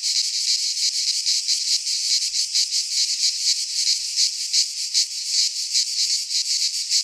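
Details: Midsummer chorus of cicadas in a Greek pine forest, a loud shrill buzzing that swells and dips in rapid, slightly uneven pulses, roughly two to three per second, with nothing else audible.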